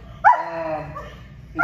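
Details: Ten-month-old German Shepherd on a leash during a training session in Cincinnati, Ohio, giving one sharp yelp that trails into a long, falling whine, with a low background rumble.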